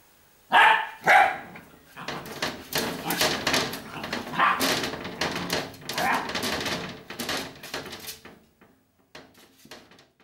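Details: Pet dachshunds at home barking to be let in: two sharp, loud barks open, followed by a rapid jumble of yips, whines and scratching with people talking, fading to quiet near the end.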